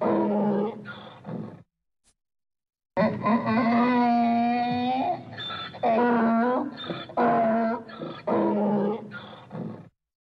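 A donkey brays in loud, drawn-out bursts, rough wheezing notes alternating with strained, honking tones.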